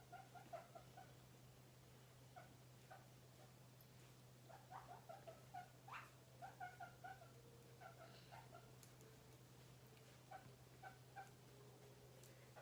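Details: Happy pet guinea pig running around freely in a room, making many soft short squeaks and chirps in bursts, a few longer drawn-out tonal notes midway, with scratchy movement sounds and a steady low hum.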